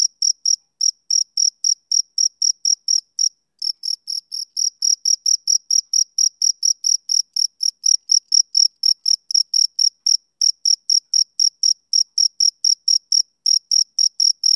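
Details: Male cricket calling through a summer evening with shrill high chirps in a steady train, one short gap after a few seconds, then the pulses resume a little louder; nothing else audible.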